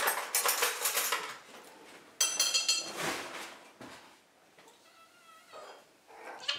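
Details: Domestic cats screaming for their dinner indoors. Loud clattering of dishes and cutlery dominates, then a drawn-out, harmonic meow comes near the end, followed by more clinking.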